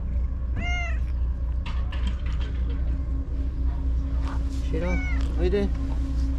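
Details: Shiro, a white stray cat living among tetrapods, returns after being gone all day and meows energetically. One clear harmonic meow early, then a doubled meow near the end, with a man talking and a steady low hum underneath.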